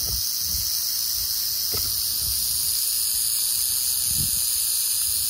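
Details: Prairie rattlesnake in western Oklahoma, producing a steady, continuous high-pitched buzzing rattle that holds unbroken throughout, with occasional low thumps and rustling beneath.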